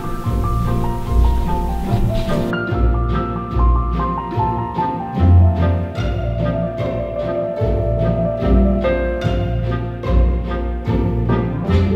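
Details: Dramatic orchestral music with pounding timpani and low strings fills the whole stretch, with no animal sound.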